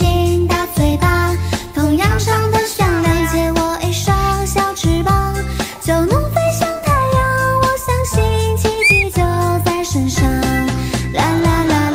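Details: Loud, bouncy children's music with singing and jingling fills the whole stretch, and no animal voice can be picked out.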